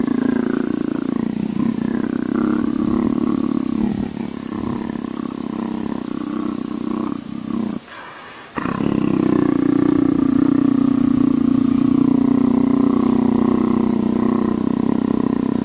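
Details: Steady leopard purring compared to a motorcycle: a loud, rapidly pulsing low rumble running continuously, broken once by a second-long silence midway, after which the throb returns stronger and smoother.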